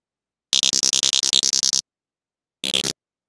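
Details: Sperm whale named Pinchi, communicating with a nearby whale off Dominica: codas sped up into a rapid, buzzy train of clicks, then a brief second burst.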